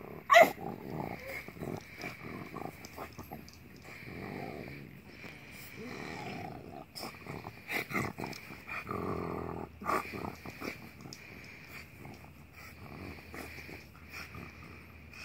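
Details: Brindle French Bulldog, three years old, playing in a yard at a friend's house while chasing a little rabbit; scattered snorts, huffs and growly grunts with broadband rustling and movement noise throughout.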